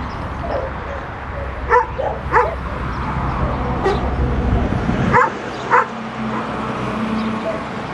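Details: Dog barking in short, sharp bursts: a pair near the start and another pair later, each bark brief and yappy, over steady loud background rumble that drops away midway.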